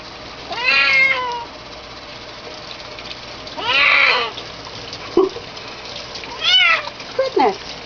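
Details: Loud, strained kitten meows during bathing: two long wavering cries, then a pair of shorter ones near the end, with a brief knock and water hiss underneath.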